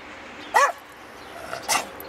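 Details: Eddie, a rescue Rat Terrier, vocalizing as if singing along to "Jingle Bells" at Christmas; two short yelping howls with a rising-falling pitch, separated by about a second of quiet room sound.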